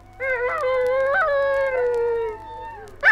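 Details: Australian dingo recorded for a 1968 wildlife record: a smooth, sustained howl held at a nearly even pitch, gently wavering and fading downward over about two seconds, followed by a brief louder burst.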